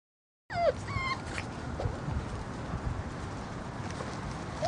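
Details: Six-week-old Glen of Imaal Terrier puppies on their first time outside; a cluster of thin, high, squeaky whimpers with bending pitch near the start and one more short whine at the end, over steady rushing outdoor noise.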